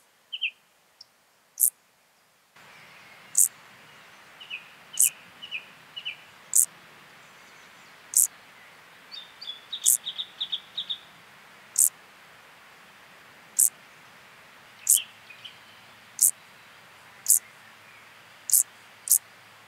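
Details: Field grasshopper singing at Hanfeld, Germany, on 19 September 2021, picked up with an ultrasound detector; short, sharp, very high ticks repeated roughly once a second, with faint higher twittering notes in between.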